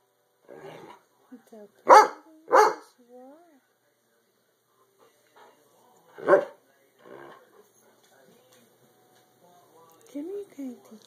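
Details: Goofy domestic dogs bark in a quick pair, then once more after a pause, followed by softer huffs and a few high, falling whimpers near the end. The setting is quiet.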